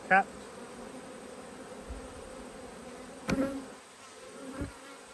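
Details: Honey bees from two hives, cross and agitated at being opened for inspection, give a steady droning hum with a low and a higher tone. There are sharp knocks and clicks throughout and a short burst of handling noise.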